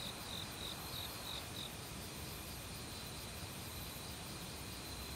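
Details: Cricket singing in an autumn forest where many kinds of insects call together. Six high, clipped chirps come in quick succession during the first one and a half seconds, then fade, leaving only the broad hiss of flowing stream water.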